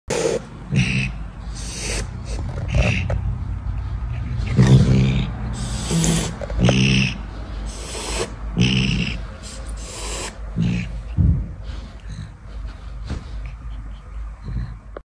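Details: Caracal hissing: a series of breathy, broadband hiss bursts, some sharp and explosive, spaced irregularly over about fifteen seconds, with a steady low rumble underneath.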